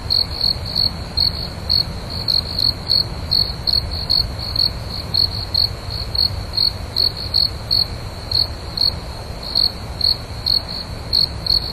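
A cricket gives bright, high-pitched chirps repeated rhythmically, several pulses each second.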